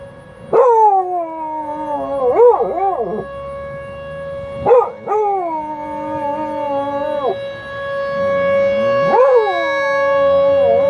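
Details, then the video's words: Buddy, a dog, answers the noon tornado siren test held the first Wednesday each month with repeated howls, several rising into warbling wobbles and then sliding down, while the siren hums steadily underneath. "Buddy howls with the tornado sirens!!"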